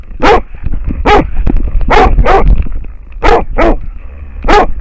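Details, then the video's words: Deep, ringing barks from an American Foxhound facing a wild boar, captured on a camera collar; six barks spaced roughly every half to one second, with scuffing movement noise and a faint continuous hum. "amerikankettukoira haukkuu villisikaa / American foxhound barking at a wild boar"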